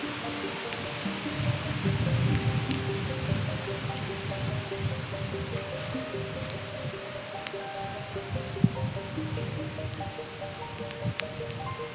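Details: Soft instrumental music over steady rainfall, with a few sharp drip clicks and no deer roars.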